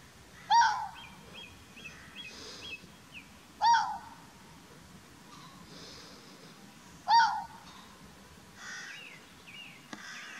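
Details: A red fox (Vulpes vulpes) gives sharp, hoarse single barks spaced about three to four seconds apart, at Chapmans Pool, Dorset, 7 June 2016.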